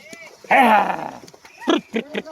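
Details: Sheep being made to swim by shepherds; one loud, harsh, half-second bleat that falls in pitch, surrounded by men's shouted commands and chatter.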